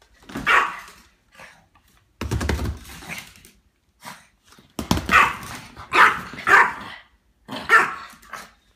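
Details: Excitable Chihuahua indoors giving a run of high, sharp yapping barks in uneven bursts, some with short growly onsets, separated by brief silences.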